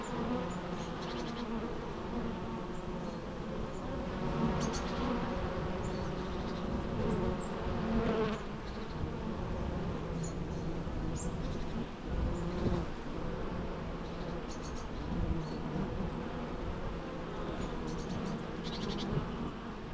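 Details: Continuous low buzzing of bees, layered humming tones that swell and fade slightly, with occasional faint high clicks and chirps in the background.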